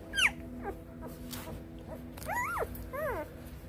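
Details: Two-day-old Lycan Shepherd puppies, F2 litter, visited by their father while he licks and cleans them; high squeaky whimpers and yelps rising and falling in pitch, several short calls over a few seconds, soft background hum.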